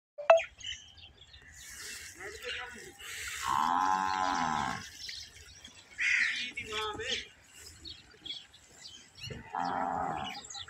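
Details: Nili-Ravi buffalo at a large modern dairy farm in Pakistan, giving several deep, harmonic lowing calls. The longest comes near the middle and shorter ones follow, separated by quieter farm background.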